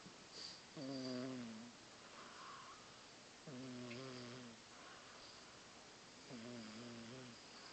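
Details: Sleeping house cat snoring very loudly, three rough, harmonic, gently wavering snores each under a second long, spaced about every two and a half seconds, with soft indoor background noise between them.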